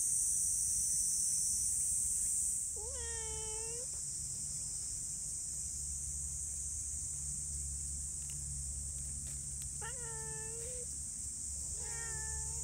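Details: Affectionate neighbourhood cats gathered after feeding: three clear, drawn-out meows with rich harmonics, the first about a second long, sounding against constant shrill insect buzzing and a low rumble.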